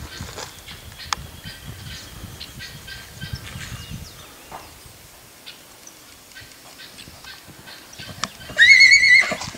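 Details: Black Lusitano filly Pérola, purebred and seven months old, at the Coudelaria Aguilar stud on 19 May 2019; soft hoof thuds and rustling lead into a loud, shrill whinny near the end, a rising then sustained tonal cry with strong overtones.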